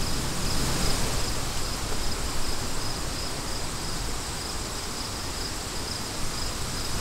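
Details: Steady high-pitched cricket trill made of rapid repeated pulses, partly buried under strong low rushing wind noise that never lets up.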